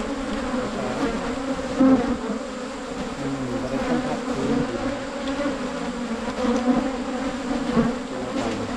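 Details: Wild cavity-nesting Asian honey bees, found on a 2022 honey-hunting trip in the Thai countryside, give a continuous low, even hum that barely wavers across the whole stretch, with only faint background rustle.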